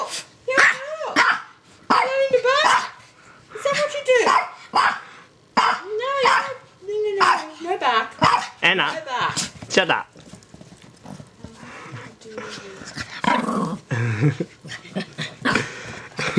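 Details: Female pet dog, six years old, barking and yipping during play: rapid, high, harmonic barks with rising-falling pitch in the first half, then softer mixed sounds, with a woman's voice speaking over them.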